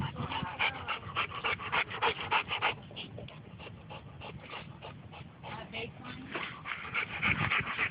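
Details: Two big dogs, Bo and Glacier, at a dog park after play; fast, even panting of roughly three and a half breaths per second, louder at the start and end, with a person speaking nearby.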